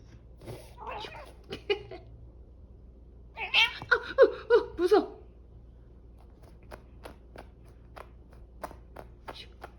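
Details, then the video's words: Cat reacting to having its head touched, giving a burst of short meow-like calls mid-clip, several in quick succession, with speech earlier and sharp tapping or clicking sounds afterward in a small indoor room. "양이 머리 건드리면 이런 반응!"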